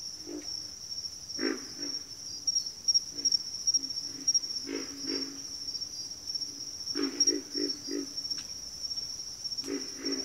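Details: Frog chorus from a backwater, with pig frogs and water frogs named: short grunting croaks in clusters, several rapid bursts near the middle and end, over a steady high insect-like drone.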